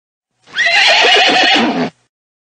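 A horse gives a loud, shrill neigh that falls in pitch and breaks into a shaky quaver.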